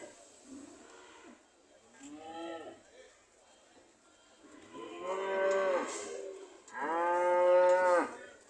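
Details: Several cows ready to leave, calling in turn: a short low moo, then two longer louder moos about two seconds apart, each broad and harmonic with a slight rise and fall.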